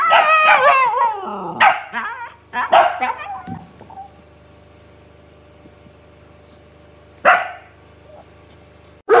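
A Siberian Husky makes wavering, yodel-like vocalizations with rising and falling pitch in answer to another dog's bark.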